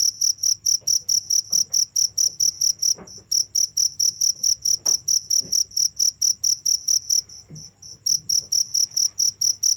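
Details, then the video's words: Cricket chirping without pause, a bright high-pitched pulse repeated steadily about every half second, with a short break near three seconds and another near eight, over a faint low hum. "the sound of crickets"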